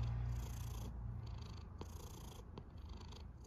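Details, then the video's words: Snoring cat with a deep continuous rumble and hissy breaths that come in and out about every second and a half, plus two soft clicks. "A snoring cat"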